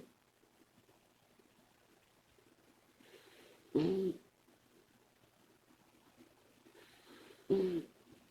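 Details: Komachi, a female Labrador Retriever puppy, snoring while asleep: two loud, tonal snores about four seconds apart, each a short droning, whistly grunt with a wavering pitch, and near-silent breathing between them.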